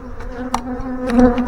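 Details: Honey bee swarm, number 31, being installed into a hive: a steady, low droning hum with faint overtones that swells near the end, with gusts of wind and rustling in the background.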